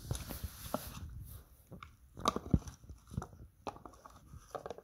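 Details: Benny, a pet Border Collie in Canada, eating a pig ear up close: loud, irregular crunching and munching bites, rapid cracks and wet chews following one another with short pauses between.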